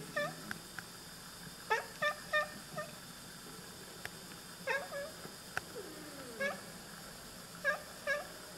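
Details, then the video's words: Two Oriental Siamese cats chattering at birds indoors: short clipped harmonic chirps in quick pairs and triplets, spaced about a second apart, with a faint electrical hum underneath. "Oriental Siamese Cats - Talking to the birds"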